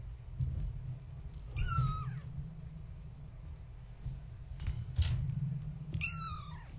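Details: At bedtime, kittens of Gaia the tabby, born March 14, 2017, play in their enclosure; two distinct bending meows about four seconds apart, separated by soft thumps and rustling against a constant low hum.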